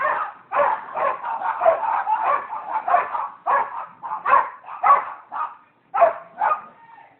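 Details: Dogs barking at a residential property in Seminole, Florida, on January 27, 2015: a rapid string of harsh, rough barks about every half second, some running together, with a short tonal whine near the end and a pause before the last few.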